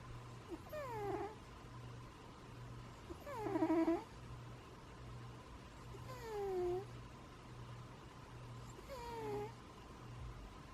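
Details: A sleeping pet cat snoring: each breath brings a thin, whistled tone that slides downward, repeated roughly every three seconds over a steady low hum in a quiet room.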